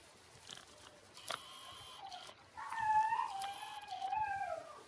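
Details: Six-day-old Shiba Inu puppies, Ôkami and Ikkyu, indoors: after faint scattered squeaks, a drawn-out tonal whine wavers and slides downward over about two seconds, followed by a second shorter falling whimper.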